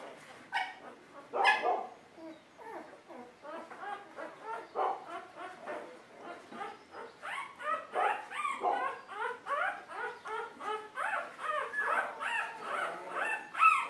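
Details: A litter of Golden Retriever puppies calling together in a steady, overlapping chorus of whimpers, squeals and small yips, several voices at once without pause, rising in loudness toward the end.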